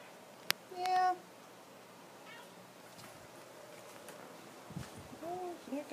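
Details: Pet cat JC, unhappy about changes at home and a new rug, gives a steady flat-pitched meow early on, later two shorter arched meows, amid a sharp tap and soft human talk in a small room.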